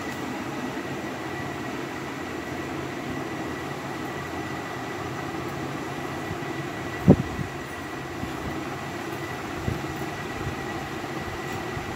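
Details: Steady mechanical droning like a passing train or running fan, with a faint constant tone and one sharp click midway; no animal voice.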